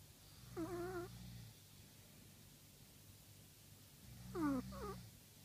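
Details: Chihuahua snoring: two breaths, each a low rumbling hum under a whistled, wavering tone that falls in pitch, about three seconds apart, quiet room.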